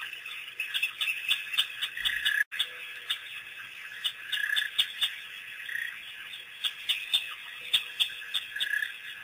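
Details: Pack of African wild dogs at Pete's Pond on April 5, 2008, first visit after being released by researchers: rapid, shrill bird-like twitters and chirps, about four per second, uneven, with a brief sharp break and constant background hiss.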